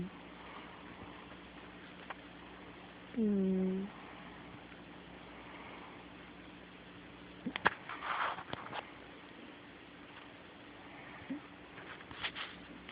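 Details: A sleeping cat snores indoors: one drawn-out, droning whistle-like breath lasting under a second, steady and slightly falling in pitch, then soft rustles and small clicks in a quiet room.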